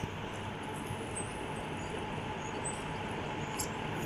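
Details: Steady broadband rumble like a moving vehicle, with a few faint high electronic blips; no animal sound.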